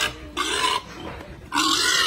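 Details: Berkshire x Pietrain gilt on a hog farm letting out two loud, grating squeals separated by a quieter raspy stretch, harsh and noisy throughout.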